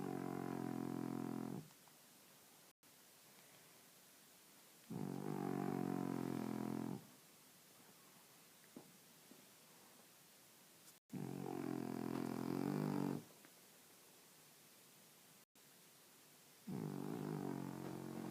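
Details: Sleeping French Bulldog snoring in slow cycles, each long buzzy rasp lasting about two seconds with quiet pauses of roughly three seconds between; four snores in all.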